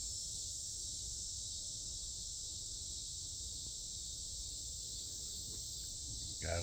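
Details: Cicadas calling loudly on a mid-August night in 2025 in a south Chicagoland forest preserve: a steady, unbroken high-pitched buzzing drone that holds even throughout, with a brief rustle near the end.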